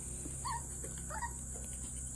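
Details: Two seven-week-old female Coton de Tulear puppies outdoors in nice weather, confused by their reflections in glass; two short, high whimpering yips about a second apart over a steady background hiss.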